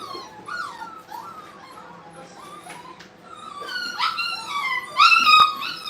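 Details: Brittany puppies at play in a training kennel, indoors in a small room: a steady stream of high, whiny yips and whimpers, overlapping and irregular, growing louder and more strident toward the end.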